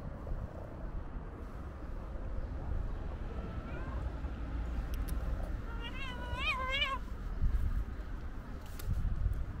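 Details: Stray white cat with a gray tail waiting near a kitten gives a few short, wavering meows in quick succession over a steady low rumble, with faint clicks and thumps around them.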